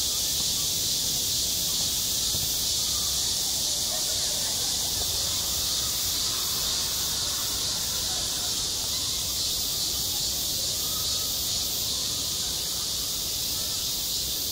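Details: Midsummer cicada chorus over a playground, one unbroken shrill buzz holding a constant high band for the whole stretch, with a low murmur of background noise beneath.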